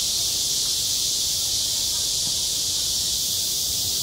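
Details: Steady shrill cicada buzzing in midsummer at a playground, very high and unvarying, with low rumbling ambient noise underneath.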